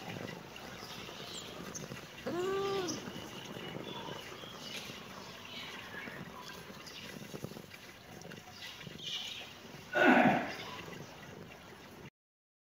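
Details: Kitten meowing in reaction to seeing the camera: a drawn-out, arching harmonic meow near the start and a louder, shorter meow near the end, with outdoor bird chirps twittering throughout the background.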